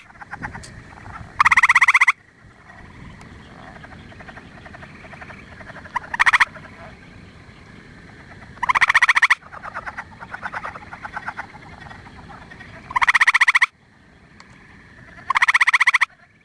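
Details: Gray treefrog calling from up in a tree in late April to early May, giving loud, short, musical trills repeated every few seconds over a soft background chorus.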